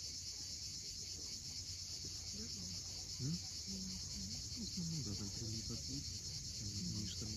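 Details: An unceasing high metallic buzz of cicadas at sunset on the Cape Fiolent coast, Crimea. Short low whistled and warbled notes from various birds and the sound of waves lie below it.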